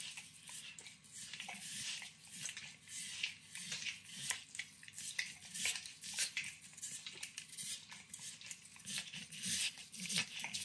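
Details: Max, a nine-year-old Pit Bull, licks and nibbles a treat of overcooked bacon in a kitchen, heard up close as a steady run of wet, crisp clicks and smacks with no talking.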